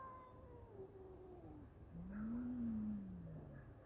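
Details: Low, tense howl from two male cats fighting: a long wavering cry that slides downward, then a louder, deeper moan swelling and fading, with low background rumble.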